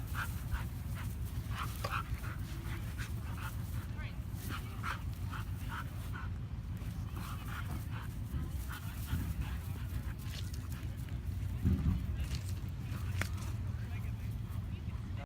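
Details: Female Norwegian Elkhound makes rough, guttural, demon-like growling noises while playing wildly with another dog at a dog park in White Rock, BC, Canada, over a steady low rumble and people talking.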